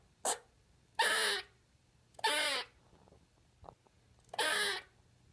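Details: Pet squirrel making its first vocal sounds indoors: four harsh, raspy bursts roughly a second apart, each rich and noisy, with one faint short tick between them, in a quiet room.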